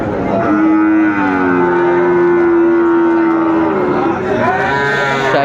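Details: Sahiwal bull calves for sale at Ambari cattle market, 13 January 2025. A long, flat, low moo lasts about three seconds, then a shorter rising call follows. Market chatter and voices run underneath throughout.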